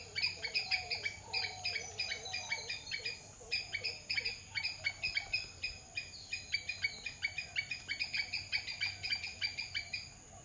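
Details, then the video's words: Squirrel giving rapid runs of harsh, clicky chips, sometimes bunched into fast trills and then spaced out, while faint low warbling whistles drift through the background. "squirrel sound"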